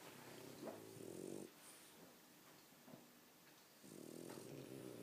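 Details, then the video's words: French Bulldogs sleeping and snoring loudly indoors, apparently very tired: two long, harsh, rattling low snores about a second each, separated by quieter breathing, with a faint snuffle between them. "French Bulldogs Snoring Loudly!"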